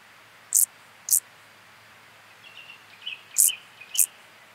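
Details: Field grasshopper (Chorthippus brunneus) singing at Hanfeld, Germany, on 19 September 2021: short, dry, high-pitched chirps, two close together, a pause, then two more. Faint thin whistles sound underneath.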